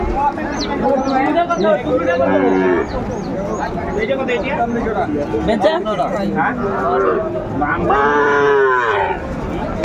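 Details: Young bull calves at a busy cattle market in Comilla, Bangladesh, on 6 January 2025, several bawling moos rising and falling in overlapping bursts amid constant crowd chatter and bargaining voices.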